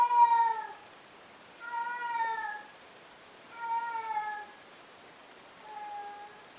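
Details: Pet male cat that keeps meowing every day and every night, here giving four separate meows at roughly two-second intervals, each clear and harmonic and sliding downward in pitch, the last softer and shorter.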